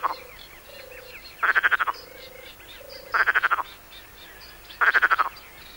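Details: Perez's frog from the Mediterranean coast giving brief rattling calls, each a quick series of rasping pulses, about every one and a half seconds, with faint low calls of a second frog in the gaps.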